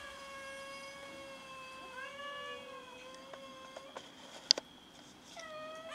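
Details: Several domestic cats meowing while fighting each other over food indoors: long drawn-out wailing meows, mostly level with slight rises and falls, overlapping voices, a few sharp clicks and knocks near the end.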